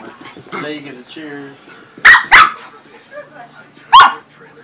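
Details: Corgi and Pomeranian playing together indoors: a person talks softly at first, then two sharp, loud barks in quick succession, a pause, and a third bark near the end.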